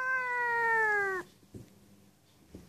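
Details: A seal point Siamese cat gives one long, clear meow that slowly falls in pitch, answering its owner, who is inviting it to go eat kibble; the cat is said to enjoy communicating.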